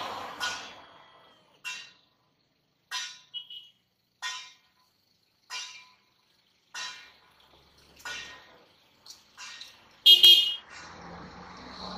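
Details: Short, sharp tapping and dripping sounds repeat about every second in a small indoor room, with one louder clatter near the end and no animal voice.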